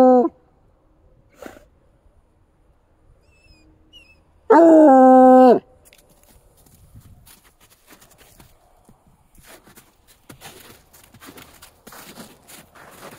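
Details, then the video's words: A Bluetick Coonhound in snowy woods with deer tracks, set off by deer activity, gives a short yelp, then one loud, full-throated baying howl that sags slightly in pitch. "Bluetick Coonhound Howling"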